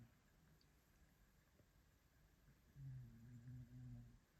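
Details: Sleeping Maine Coon cat on an armchair, snoring once: after near silence, a single low, rumbling, buzzy snore lasting about a second and a half, with two slight surges, in a quiet room.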